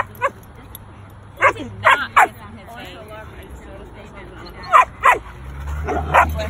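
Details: Barks from a young Belgian Malinois on protective guard duty: scattered sharp single and paired barks over several seconds, mixed with a man's speech and a low hum rising toward the end.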